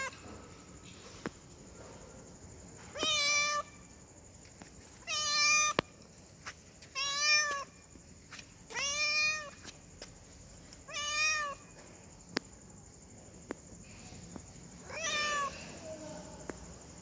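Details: Female cat in heat calling to a male tomcat: a steady series of six or seven arched, wavering meows, each under a second long, spaced about two seconds apart, with occasional faint ticks between.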